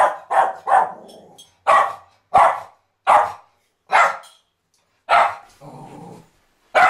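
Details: Border Terrier barking in a series of loud, abrupt barks at irregular intervals of about half a second to a second, one double bark at the start, with a low growly rumble after a few barks.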